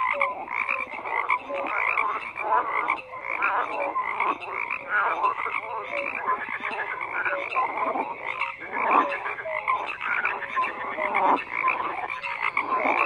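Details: Dense chorus of many frogs croaking together, overlapping rough pulsed croaks filling the mid range with short whistled notes threaded through, continuous with no pauses.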